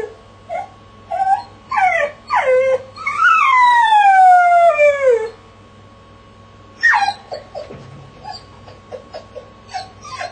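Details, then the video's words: Jessie, a dog shut in a crate, gives yelping whimpers rising into a sustained wavering howl that slides downward and ends, then after a pause breaks into more sharp yips and soft whines; constant low hum throughout. "Jessie dog - The Howling"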